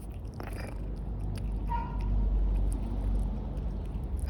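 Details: Domestic cat purring indoors: a steady low rumble that swells and fades in long slow cycles, with a brief faint higher tone partway through and light rustling handling noises.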